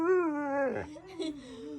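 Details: Husky-malamute cross dog 'talking' to its owner: a sustained, steady, howl-like tone that dips and breaks briefly near the middle, then continues in a lower, wavering moan.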